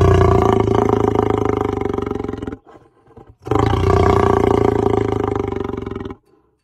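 Two sustained lion roars, each lasting over two seconds, rumble deep and rough with a throaty, pulsing texture. A short silence separates them, and the second fades away at its close.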